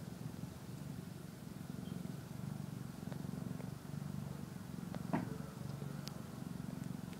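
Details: Rhythmic low purr of a kitten eating and sleeping, pulsing in breath-long waves of rumbling, with a single short squeak midway and light clicking noises.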